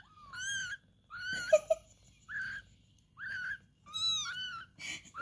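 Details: Cat mewing while kittens are being fed: high, harmonic meows that rise and fall, about six in five seconds with short gaps, plus faint rustling between calls.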